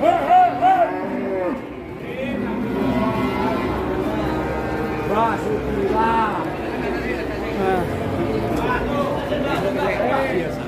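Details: Cattle mooing in a pen with people talking and background music; several drawn-out, wavering low calls with arched harmonics overlap chatter throughout.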